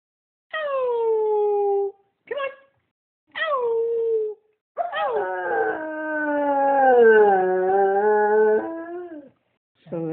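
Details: A Standard Poodle "sings" on command, howling musically in drawn-out, falling notes with a few short yelps between.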